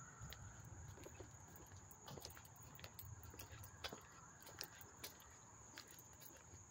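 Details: Crickets chirping up close in Hastings-on-Hudson, New York, on August 13, 2024: a steady, unbroken high-pitched trill runs throughout, overlaid by frequent sharp clicks and rustling handling noises.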